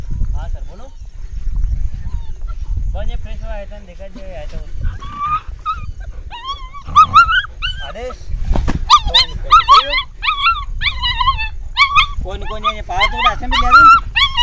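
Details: German Shepherd playing outdoors, producing rapid high-pitched whines and yelping cries, wavering and bursty, increasingly frequent in the second half, with a person's speech and low rumbling background noise.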